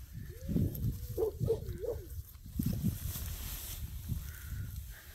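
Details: Golden Retriever puppies, five and a half weeks old, giving a run of high, wavering whines that rise and fall in quick loops, over low rumbling handling noise and faint background sounds.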